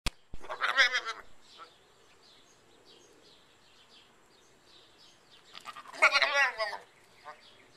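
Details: Goat bleating twice, a wavering quavering bleat near the start and a second longer one about six seconds in, with quiet pauses between.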